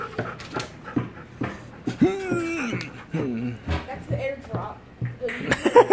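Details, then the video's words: Golden Retriever boy Chowder, kept behind a gate and excited to see his owner, lets out a high, drawn-out tonal whine that bends up then down, with short yelps and a woman's Spanish speech around it. "Chowder (Golden Retriever Boy) Is Still Excited To See Me"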